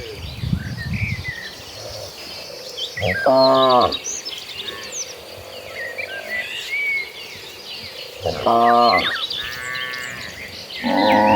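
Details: Herd of cattle moving toward a green pasture; two short, bright lowing calls about five seconds apart stand out over a steady outdoor hum and scattered bird chirps.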